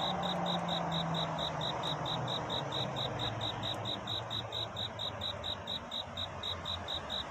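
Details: Courting cricket at night before dawn, giving a rapid, regular series of shrill, ringing pulses over a hissing backdrop, with a low droning hum in the first seconds.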